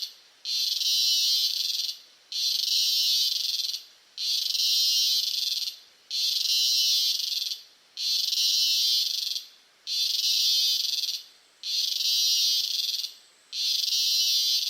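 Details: Close-range Costa Rican cicada giving a harsh, shimmering high buzz in regular pulses, each lasting around one and a half seconds with short pauses between, eight pulses heard, background otherwise quiet.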